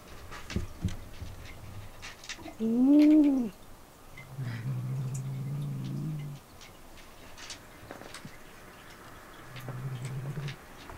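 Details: Domestic cats indoors in a cat room, where a rescued kitten has just been moved and other cats investigate its bed; a short arched meow, then a low rumbling purr lasting about two seconds, with a fainter purr later.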